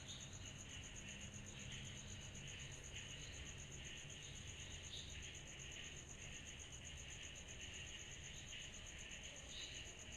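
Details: Cicadas chorusing on a summer night: a steady, finely beaded high-pitched trill runs unbroken beneath a broader, softly pulsing buzzy band, with a low rumble in the background.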